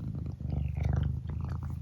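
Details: Close, continuous low purring from Eric the pet cat, a deep pulsing rumble with faint rustles and no voices over it.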